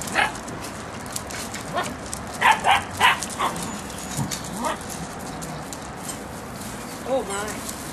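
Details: English Springer Spaniel puppies, eight weeks old, Puzzle Benny litter, July 25, 2013: a run of short sharp yips and barks in quick irregular succession, then a brief wavering whine near the end.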